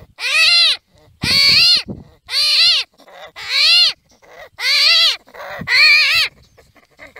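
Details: Screams of an armadillo, six loud harmonic squeals of roughly half a second to a second each, arched in pitch and buzzy, spaced about a second apart with faint scuffling between.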